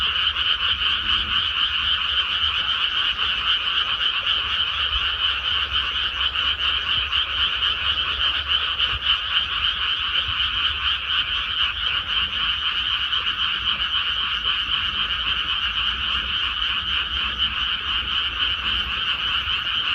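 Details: Frogs calling in rice paddies after rice planting: a dense, unbroken chorus of rapid rattling croaks from many frogs, steady and loud throughout, with faint lower sounds beneath.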